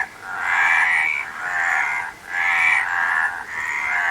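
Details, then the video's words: Croaking frogs form a thick, buzzing chorus that swells, fades at around two seconds, then builds again. "Frog Sound"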